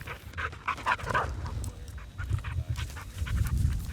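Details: A bird dog pants in quick, breathy puffs, about three a second, over a steady low rumble of wind, during a wild bobwhite quail hunt in burned Texas grassland habitat.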